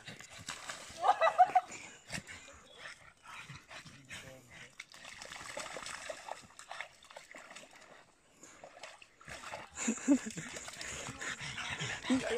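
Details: French Bulldogs Sziporka and Puszedli at play in a forest, giving loud snorting yaps and gruff bursts in quick irregular runs, over rustling, splashing and human voices.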